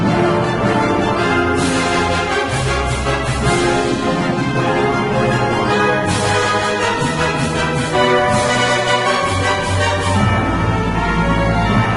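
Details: Loud orchestral theme music with brass fills the whole stretch, with no animal call heard above it.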